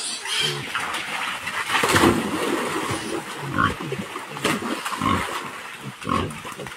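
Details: Wild boar with piglets, a sow and young together: a busy mix of low grunts and squeals, with short higher squeaks scattered through and rustling or splashing sounds underneath.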